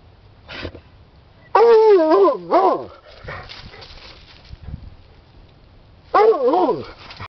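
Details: Rusty, a 10-year-old Redbone Bluetick Hound digging after something in a hole in an underground stream, lets out a brief yip, then strong wavering bays with a falling end, quiet snuffling, and a final sliding howl.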